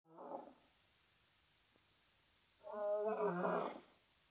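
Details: Two male lions in northern Namibia's arid savannah bordering Etosha National Park, vocalising while scent marking, caught on a live webcam: a short harmonic moan, a pause, then a longer, louder rich groaning roar with layered tones.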